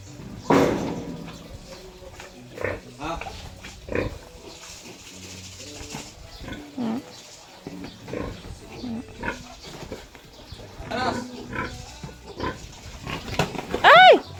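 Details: Sow being moved by people. Scattered low grunts sit under ongoing human speech and handling noise. A sharp, high-pitched squeal rises near the very end.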